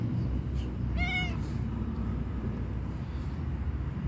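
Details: A homeless tabby cat waiting for attention and food gives a single clear meow, rising then falling, over a steady low rumble of background noise.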